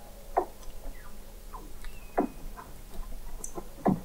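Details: Weddell seals under the sea ice of McMurdo Sound, Antarctica, recorded in November 2017 at an observatory 21 m below the ice: three loud broadband pulsed calls about every 1.7 seconds, with softer chirps and short downward-sweeping whistles between them.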